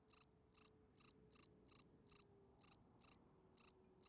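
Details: Night-singing field cricket, a spring field cricket giving its calling song to attract females. Crisp, trilled chirps of several rapid pulses repeat steadily, about two and a half per second, over a faint low steady tone.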